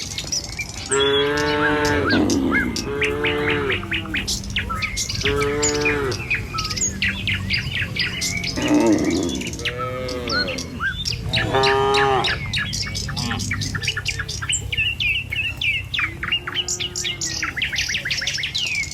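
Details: Tame cattle walking along a village road toward their pen in the morning, giving repeated low harmonic moos, several overlapping, amid busy chirping birdsong.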